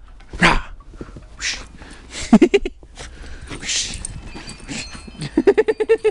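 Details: Pembroke Welsh Corgi playing in snow and trying to eat it, giving a short harmonic bark, then a quick run of rapid yapping barks at the end, with a person talking and calling out between them.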